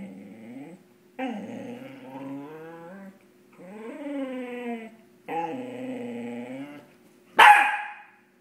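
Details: Playful male Cardigan Welsh Corgi at night, chasing his tail: four drawn-out, rising and falling harmonic growl-whines of about one to two seconds each, separated by short pauses, ending with one sharp loud bark.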